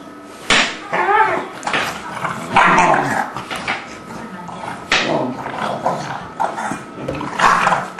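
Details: English Bulldog and a three-month-old English Mastiff pup named Forest playing together, giving rough, noisy growling bursts in short runs, with people talking in the background.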